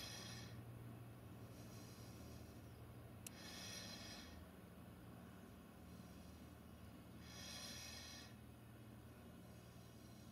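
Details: Female Amur tiger resting relaxed in the centre of a zoo enclosure, giving soft, breathy snorts: broad hissing exhalations about a second long, spaced roughly three to four seconds apart over a steady low hum.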